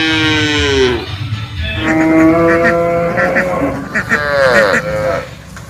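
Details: Calf moos overlapping over a busy background, with falling harmonic calls, a steady held tone and several curved bleating moos near the end.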